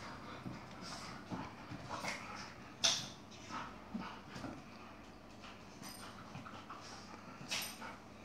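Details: Yogi the Chihuahua, described as having attitude, fighting with an Airedale: scattered soft growls and snarling bursts among rustling and light thumps, with a sharper yelp-like burst near the middle.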